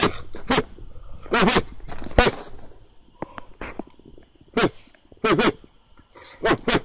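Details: An excited Hokkaido (Ainu) dog, worked up with a heat-up command while holding a brown bear paw, gives short, sharp barks in bursts, some doubled, with quiet gaps between.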